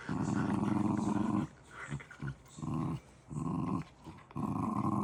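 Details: A pet dog indoors gives a low, rumbling growl in sustained stretches, broken by short pauses and faint breathy sounds.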